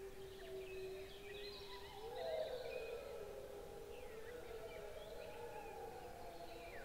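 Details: Several gray wolves howl together in long, overlapping, gently wavering tones over a soft background hiss, recorded by a trail camera on 14 May 2022.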